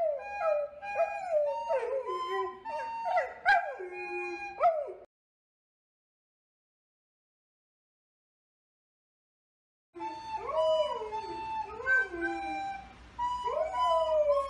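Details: Male golden retriever showing off his tenor voice, howling along with recorder tunes: rolling, sliding howls for five seconds, a silent gap, then more rising and falling howls with the recorder.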